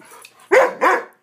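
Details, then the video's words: Two strong, hoarse barks close together from a Swiss Mountain Dog pup during its wild "bad dog run" episodes. A faint, low murmur comes before the barks. "Swiss Mountain Dog Epic bad dog run"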